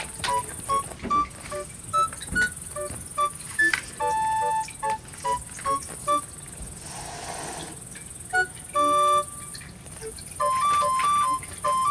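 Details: Soft instrumental music of clear, sustained keyboard-like notes in short phrases, with a steady high hiss and no animal voice.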